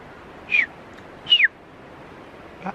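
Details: Alpine marmots at the foot of the granite slab route Snoopy Directe, Ailefroide, French Alps: two sharp, loud descending whistles about a second apart, then a faint third note, over quiet background.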